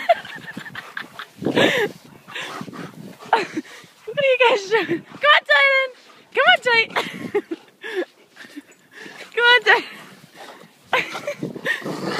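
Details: Bernese Mountain Dog puppies playing and hopping in deep snow on a front lawn after the Blizzard of 2012; a series of short, high, rising-falling yips and whines in bursts between about four and ten seconds, mixed with people talking.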